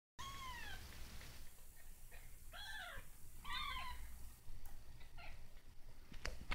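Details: Kitten learning to walk, struggling with its first steps indoors; several short high meows with falling harmonic arcs, the first near the start and two more around the middle, over a low steady hum and occasional clicks.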